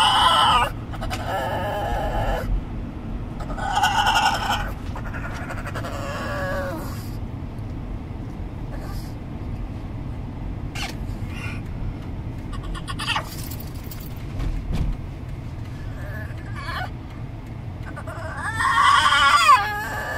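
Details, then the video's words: Pet pug riding in a car, making dolphin-like sounds: high, squeaky, wavering whines in bursts of one to two seconds, separated by gaps, over a steady low rumble of road noise. "Pug makes dolphin sounds"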